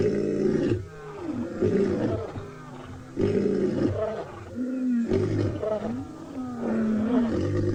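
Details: At sunset on 2 July 2020 in Tswalu Kalahari Reserve, South Africa, scattered lions give deep, rolling roars and grunts as contact calls, some from far off, trying to regroup the pride; finding: Lion.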